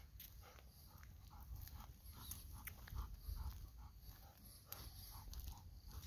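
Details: Golden Retriever panting outdoors while pressing to be given a mandarin being eaten nearby; soft quick breaths in rapid repeated bursts over low rumbling background noise, with a few sharp clicks.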